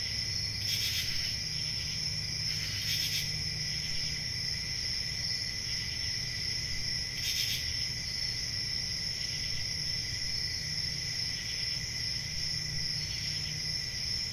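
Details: Crickets sing through a quiet country summer night, keeping up an even, high, ringing trill. Sharp chirp bursts cluster early, near one and three seconds, then again around seven seconds, with softer ones later. A low hum runs steadily below.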